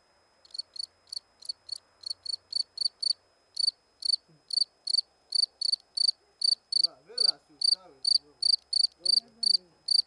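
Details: Cricket chirping close by: bright, high, short pulsed chirps with a faint upper overtone, repeated roughly two or three per second with uneven spacing and a brief pause, while a man's voice murmurs midway.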